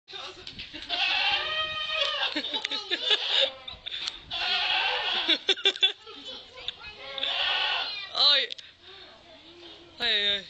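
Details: Goat (Capra hircus), bleat.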